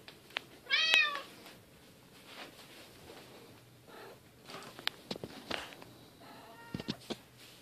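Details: Bengal cats at family play time, silver kitten Keylala with sister Luna and mom Xia: a sharp, high meow early on, then scattered clicks and thumps and a faint, brief second meow later.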